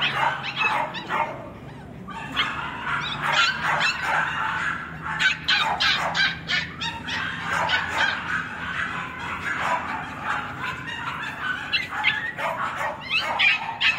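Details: Kennel-kept male West Highland White Terrier, 21 April recording: rapid, irregular yaps and high barks, about three per second, bursting in clusters with short pauses between.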